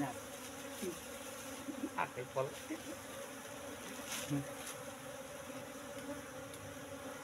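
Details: Asian honey bees kept in a cultivation box after relocation from the forest about three months ago, droning while sealed honeycomb is harvested; a constant hum overlaid with scattered clicks and scraping handling noises.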